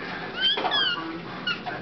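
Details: Siamese kitten Birdie, indoors, calling just before being given the hairball remedy she loves: a brief high, squeaky meow with thin rising-then-falling tonal strokes, followed by a fainter second squeak near the end.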